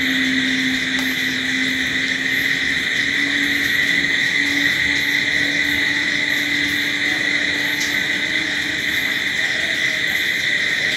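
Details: Crickets at night in a steady, unbroken high chorus with a bright main band and fainter higher overtones, while a low drifting hum runs beneath like a distant engine.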